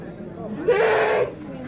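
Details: Bligon semi Jawa Randu breeding goat in Java, Indonesia, gives a single short wavering bleat lasting about half a second over a low murmur of background voices.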